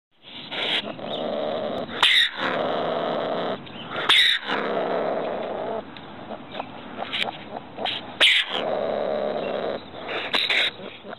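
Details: Ringtail (Bassariscus astutus) gives a harsh, raspy, hissing call, broken by sharper bursts every couple of seconds.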